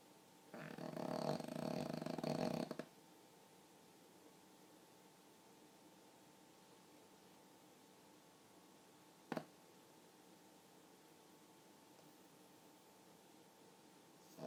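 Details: Pug asleep and snoring, described as remarkably human-like: one long, loud, raspy inhaled snore lasting about two seconds, followed by long near-silence and a single sharp click.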